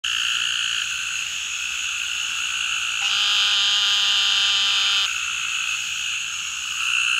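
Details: A male Eastern narrow-mouthed toad gives a nasal, buzzy bleat lasting about two seconds over a steady chorus, calling in the Atchafalaya Basin, south-central Louisiana, on 27 July 2013, with two other individuals very close by.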